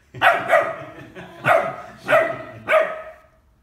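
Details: Bernese Mountain Dog puppy of ten weeks checks out a ten-month-old baby and gives about five high, sharp yapping barks at uneven intervals, the first two in quick succession, each fading fast.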